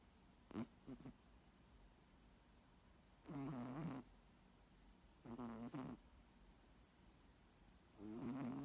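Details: A moose snores in a loose rhythm: two quick snuffles, then three longer rasping, buzzing breaths roughly two seconds apart, the last one cut off at the end.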